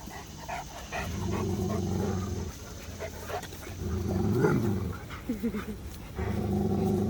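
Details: Cane Corso; growling vocalization; correcting a puppy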